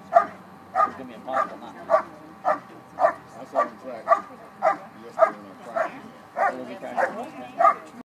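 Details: A dog holds and barks at a 2013 Schutzhund USA Nationals IPO event, bark and hold exercise: a long run of about thirteen rhythmic, punchy barks spaced roughly 0.6 seconds apart, with soft ambient crowd noise.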